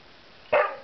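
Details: Juno, a pet puppy, barks once in a kitchen during a temper tantrum after being denied her daily biscuit for jumping; a single sharp, short bark rises abruptly and fades, with a quiet room behind.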